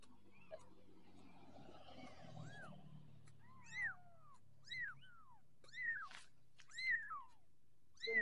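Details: Orange Persian kitten growing up, giving high, arched mews that rise and then fall. They repeat roughly once a second after a quiet start, with faint background hum.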